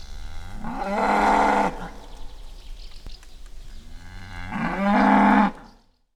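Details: Angry bull in the wild giving two long, loud, steady bellows about four seconds apart, each rich and nasal and held for nearly a second, with faint background noise between them.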